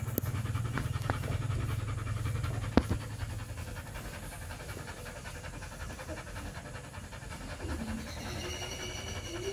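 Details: A three-week-old Rottweiler pup breathes in rapid, airy pants over a low steady hum, with a few sharp clicks early on and faint squeaky tones near the end.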